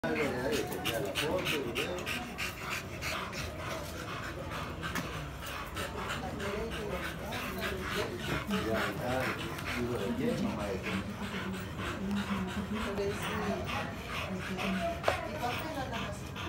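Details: American Bully dog in Nicaragua, recorded on the last day of a breeding session. Fast, rhythmic breathy panting runs steadily at roughly three breaths a second, with a person talking over it throughout.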